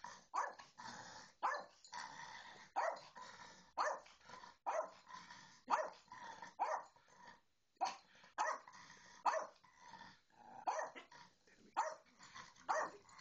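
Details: With a Bedlington Terrier ignoring it, a little Yorkie-and-terrier pairing yields steady sharp barks, roughly one per second, a brief pause midway, then the rhythm resumes; no other clear sounds.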